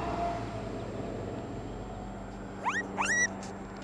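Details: Baby raccoons removed from an attic: two quick rising whistled chirps with bright overtones near the end, after a stretch of low steady hum and background noise.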